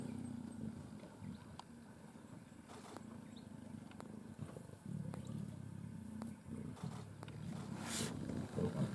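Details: Wild Sri Lankan leopards, three adults sharing a carcass in Yala National Park, Sri Lanka, growl at each other while jostling for a place to feed. A deep, steady rumble swells and fades, broken by brief clicks and one hissing burst near the end.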